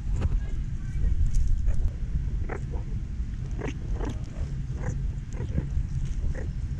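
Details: Meerkat mob feeding at the San Diego Zoo: short, sharp chirping bursts scattered irregularly, several per second, over a steady low rumble of background noise.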